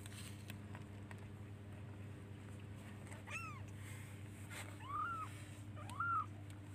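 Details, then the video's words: Baby kitten searching for its mother and calling her by meowing: three clear arched mews, the first higher and rising, the last two fuller and louder, spaced about a second apart, over a constant low background hum. "Cute baby kittens looks for and calls its mother by meowing"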